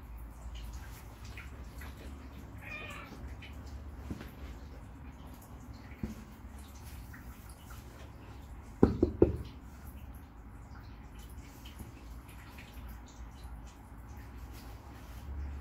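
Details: A Bengal cat gives a brief, strained meow over quiet indoor room noise while reacting to a catnip-filled fish toy.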